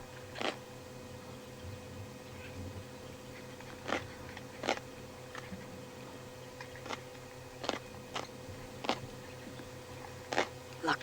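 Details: A hyena scavenging a carcass during the wildebeest migration on 28 July 2019 crunches through bone, giving sharp, irregular cracks over a steady low hum.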